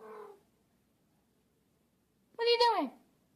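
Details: Domestic cat indoors giving one falling, nasal meow lasting about half a second, preceded by a brief human voice and then quiet.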